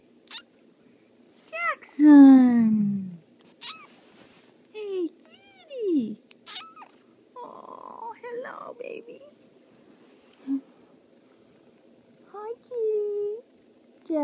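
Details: Indoors, a cat meows repeatedly: a long, loud, downward-sliding meow, then shorter wavering and rising meows spaced a few seconds apart, while a person talks between the calls.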